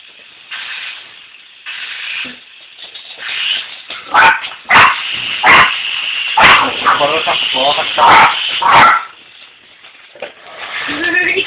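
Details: Two puppies, Toby and Tilly, bark at a remote control helicopter; about six sharp, loud barks come in a burst midway, while people talk throughout.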